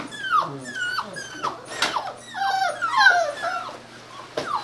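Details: Aussie-Cocker mix puppies from a rescued litter whimpering: high, clear whines that slide downward, several overlapping in quick succession, with a brief soft growl-like note and a sharp yelp near the end.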